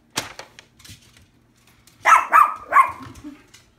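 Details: Shih Tzu, a pet dog, barking at a dog calendar shown by its owner indoors: three quick sharp barks in a tight burst after a few faint knocks, then quiet.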